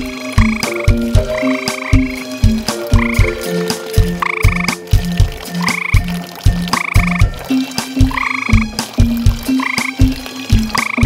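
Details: Two tree frogs calling around a garden pond after dark, active nearly all night and audible from far away; short croaking pulses repeat in quick runs, mixed with layered background music with steady tones and brighter bursts.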